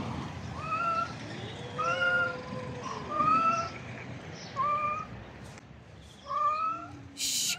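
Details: Stray cats in a tense, bullying standoff give a string of loud, wavering meows about every one to two seconds, some rising then falling, with a long low drawn-out yowl underneath early on and a sharp click near the end.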